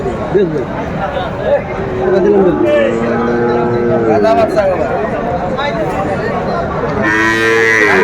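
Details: At a Chittagong livestock market on 7 December 2024, a Sahiwal bull calf gives a smooth, even-pitched low moo lasting about two seconds mid-clip, with busy market talk and a rise of crowd noise near the end.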